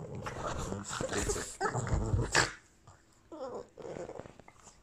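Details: Indoor tussle between pet Boston Terriers Gina and Albert in Christmas sweaters: throaty growls in uneven bursts, a short pause, then renewed snarling growls.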